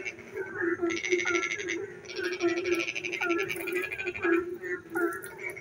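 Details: Frogs singing in the dark at night while it rains; a steady low croaking chorus runs throughout, overlaid by bursts of rapid, rattling pulsed trills lasting about a second, with short higher chirps between them.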